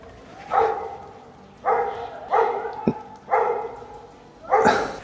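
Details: Old German Shorthaired Pointer hunting dog, trained on wild boar, baying at a sow with piglets in bushes during a Christmas Eve driven hunt, holding them for the hunter. Steady barks about every second, with outdoor background noise and a sharp crack.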